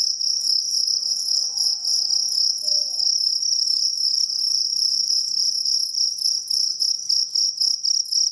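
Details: High, shrill cricket trill from a jangkrik kalung, dense rapid pulses at even loudness, a soft low tonal sound early on and faint background noise underneath.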